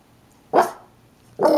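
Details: Two house dogs, a Shih-tzu/Maltese named Gizmo and a Yorkie/Maltese named Kodi, at the door greeting people, Kodi upset when no attention is paid to him. Two short, sharp barks sound about a second apart in a quiet room.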